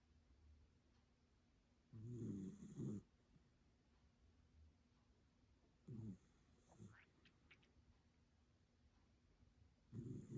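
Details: Dog snoring while asleep: three low, rough snore bursts about four seconds apart, each lasting roughly a second, with quiet breathing between them.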